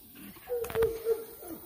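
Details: Bloodhound puppies indoors: thin, steady whimpering whines on a level pitch, drawn out in three short stretches, with a brief broadband rustle or snuffle burst in the middle.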